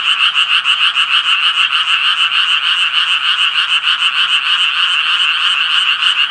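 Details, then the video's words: Japanese tree frogs give quick repeated raspy croaks, about three each second, their pulses stacking into a loud continuous chorus. "청개구리 울음소리"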